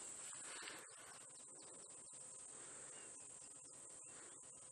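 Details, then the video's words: Cicadas starting to chirp on a very hot day during a sunrise drive on 22 October 2016: a continuous, steady, very high buzzing drone runs throughout, with low rumble and scattered soft clicks beneath. "I don't know if you can hear the cicadas, but they're starting to chirp."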